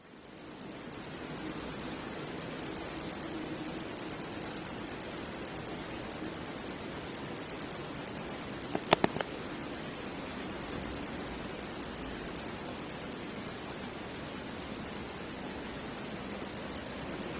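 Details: A cricket (true cricket, family Gryllidae) in West Bengal, India, gives a continuous high-pitched pulsing chirp in a fast, even rhythm that swells and eases slightly, with a brief click partway through.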